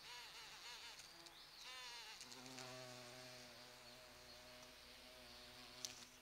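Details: Large bumblebees pollinating flowering sete capotes (Campomanesia guazumifolia) in a garden in late November give a low, droning buzz that rises and falls in pitch as they fly close.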